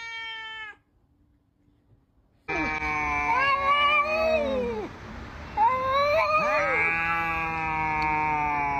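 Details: Cats yowling before a fight: a brief tonal wail, a pause, then long, drawn-out overlapping yowls that waver, sag and rise again, sustained and strained, with a steady background hum.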